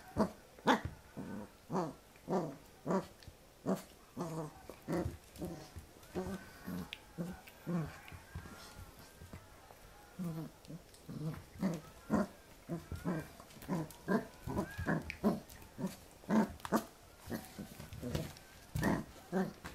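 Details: Pembroke Welsh Corgi puppy at play against a person's hand, 8 November 2014; a steady run of short throaty growls and grunts about twice per second, with occasional whiny yelps between them.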